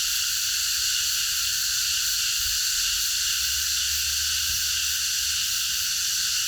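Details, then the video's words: A park at night rings with a cicada chorus: an even, hissing wall of high buzzing sound with no gaps, plus a soft low hum and a faint thump. "매미들의합창 밤어느공원에서"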